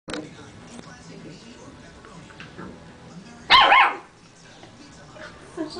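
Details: Yorkshire terrier mix dog meeting another dog for the first time, giving a single sharp, loud bark-like yelp midway through, with low background noise and faint voices.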